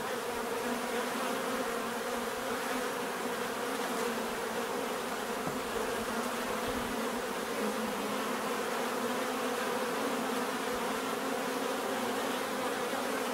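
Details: Bees in a dense, steady buzz, a continuous hum with stacked bands around the low-mid range and a constant level throughout, with no other sounds breaking through.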